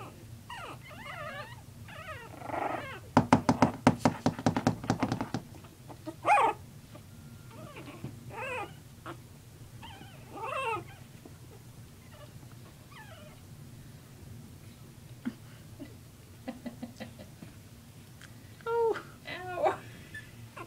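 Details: Puppies at play whimper in thin, wavering whines and brief yelps, broken by a two-second burst of rapid scratchy clatter early on, with a low hum throughout.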